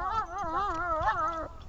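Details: Dog named Tashik during a training session on 26 August, giving a drawn-out, wavering howl-like whine whose pitch rises and falls in smooth waves for under two seconds, with a soft low rumble of room noise beneath.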